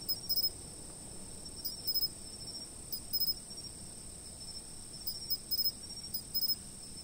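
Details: High insect chirps over an unbroken piercing drone, filmed from a fixed camera; quick stuttering bursts of two or three chirps repeat at uneven intervals of about a second, with soft low background rumble.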